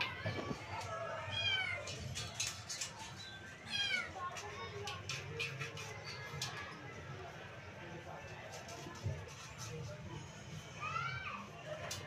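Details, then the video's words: Kittens, three of them, playing together in a playpen give several thin, high meows that rise and fall, spaced out across the recording, with people talking and some music in the background. "THREE KITTENS PLAYING LOVINGLY IN A PLAYPEN"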